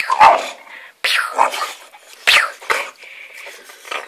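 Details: Ruben, an English Bulldog, attacking tiger slippers indoors: rough, raspy growling bursts come in four or five harsh snorting pulses, separated by brief pauses, with a voice in a small room.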